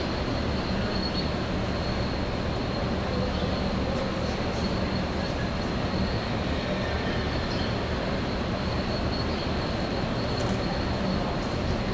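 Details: Loud, continuous broadband roaring noise, like machinery or a crowded hall, covers the whole recording, with no animal call.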